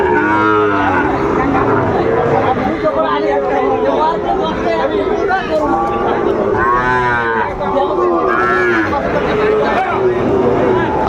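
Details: Sahiwal bull calves at a busy cattle market in Cumilla, Bangladesh, on Saturday, 6 July 2024. Several loud, drawn-out harmonic moos, some wavering, overlap one another, with crowd chatter and a man talking throughout.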